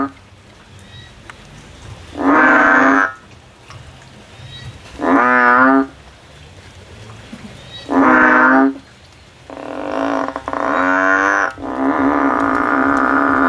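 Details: A frog climbs a tree seeking a way out, giving repeated loud, wavering, nasal calls about every three seconds, the last ones running together into a longer droning stretch.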